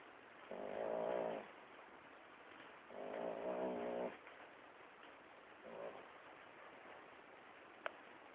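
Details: Domestic dog's funny noise, heard as three low, nasal moaning bursts. The first two last about a second each and the last is brief, all over steady room hiss, with one sharp click near the end.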